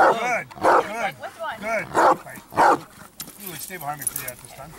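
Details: During a training build-up session, Achilles the Bandog, aged 4.5 years, gives four strong, tonal barks in quick succession. A handler's voice talks between and after the barks.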